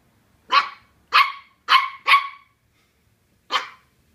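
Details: Colin, a Welsh Terrier pup, barking at a cardboard box that intimidates him: four sharp, fairly high barks in quick succession, a pause, then one more bark, in a quiet room.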